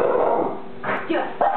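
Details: A Boston Terrier gives a few short, sharp barks in quick succession at a daddy long legs spider on the wall, which it then eats. A person urges it on and partly overlaps the barking.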